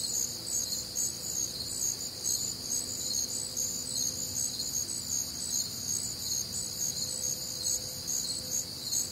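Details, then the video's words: Crickets calling together through a humid Midwestern summer night, a bright high shimmering chorus of rapid repeated chirps in several bands, unbroken for the whole stretch, with a soft faint hum lower down. "Night Time Cricket Sounds"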